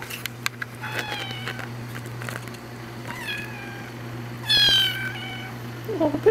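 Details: Three-week-old kitten meowing indoors to get attention: three high, harmonic meows, each about half a second long, spaced over six seconds, the last one loudest and slightly rising, with a person cooing softly in the background.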